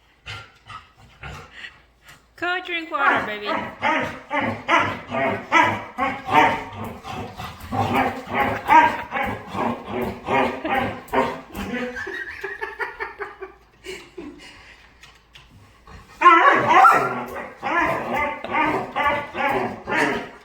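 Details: Pet dog making noises and dancing while playing: quick runs of whiny, yodel-like vocal bursts, rising and falling in pitch. They pour out from about two seconds to thirteen, pause, then return louder near the end.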